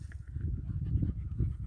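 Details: A dog pants steadily on its last walk before Sue returns, on Fuerteventura in very hot late August 2021; rapid, low, breathy puffs run continuously, with faint background noise.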